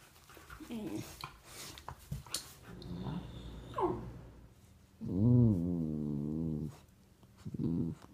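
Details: Golden retriever puppy lets out a drawn-out, moaning, harmonic whine-growl of about two seconds, then a shorter one at the end, after soft rustles and faint voices.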